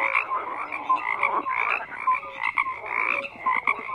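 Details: Frogs croaking in a dense overlapping chorus, pulsed rattling notes with bands around mid and upper pitches, steady and continuous with frequent loud bursts, no other sounds standing out.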